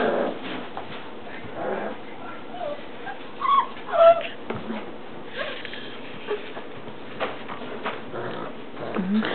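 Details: Four-week-old English Mastiff puppies, kennel-trained and kept in crates at home, give scattered soft whimpers and short high yips, a few thin squeaks standing out mid-clip over a steady background of music.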